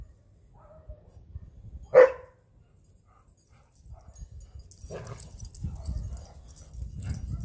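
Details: Full-grown goldendoodle Mac at play in a yard on Thanksgiving Day with Penny, a four-and-a-half-month-old Saint Bernard poodle: one sharp loud bark, a quieter yelp later, then low scuffling and rumbling noise.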